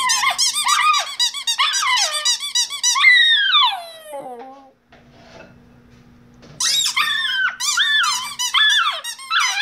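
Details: A Shiba Inu "sings", giving high, wavering yelps and a long sliding howl, then starts up again after a pause.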